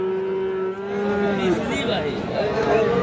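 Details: Friesian and crossbred bull calves at Ranigonj cattle market, Dinajpur, on Thursday 31 July 2025. A steady low moo with clear harmonics holds for about a second and a half, then fades into a noisy crowd of voices and market bustle.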